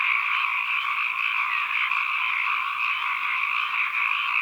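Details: Frogs croaking en masse in an ambient recording, a thick, continuous trilling chorus with a slight wavering in pitch and no breaks, with no other sounds.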